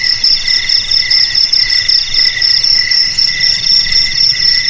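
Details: Crickets chirping: a steady high, shrill trill runs throughout, over a lower rhythmic chirping that pulses in short bursts about every half second. No other sounds intrude.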